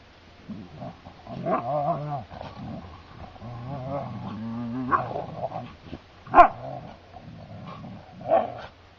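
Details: Two Siberian Huskies, Tikka and Laika, play-fighting on heathland: low, drawn-out grumbles and growls with a few sharp yips.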